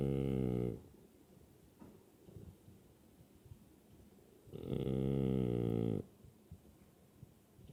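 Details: French Bulldog named Zunko snoring even while awake, a low buzzy rasping rumble in two long snorts, one at the start and a longer one near five seconds, with quieter snuffling breaths between them in a small room.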